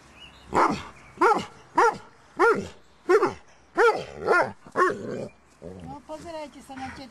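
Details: Barking from five-week-old Doberman puppies: about eight sharp, tonal barks spaced roughly every half second, then voices speaking at the end.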